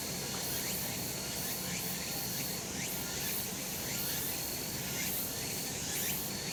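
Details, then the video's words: Sunlit summer mountainside where cicadas keep up a thick, steady buzzing wall of sound, overlaid by repeated brief upward-sliding notes roughly once a second and a thin sustained whine. "セミの鳴き声 夏の山 日なた"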